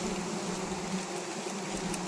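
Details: Honey bees swarming during a wild honey harvest, stinging the harvesters; a dense steady buzz with a strong hum band and harmonics above it, continuous throughout.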